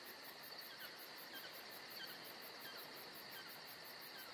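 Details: Georgia summer night with crickets: steady high-pitched whirring and rapid repeated chirps around four per second, plus faint softer chirruping notes scattered beneath the drone.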